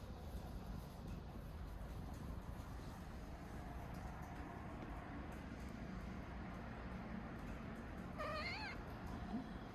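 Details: Domestic cat purring as it wakes up, a soft, steady low rumble running through the whole stretch, with a short rising meow-like call near the end.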